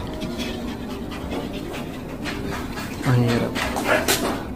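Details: Jealous pet Shih Tzu in a home shared with other dogs, two Chihuahuas, a second Shih Tzu, a husky and an aspin, panting in soft, uneven breathy puffs, roughly 74 per minute, while a woman talks in Filipino.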